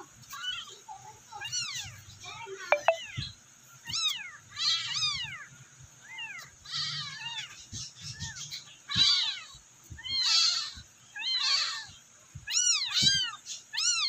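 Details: Abandoned rescued kittens calling for their mother: a steady run of high, arched mews, often overlapping, roughly one burst a second, with soft low knocks beneath.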